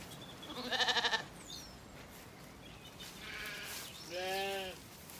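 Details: Weaned Zwartbles lambs wander calmly in an evening orchard on an Irish farm in County Kilkenny. A trembling, pulsed bleat opens, a bird whistle slips past, then two more bleats, the last one loud and clear.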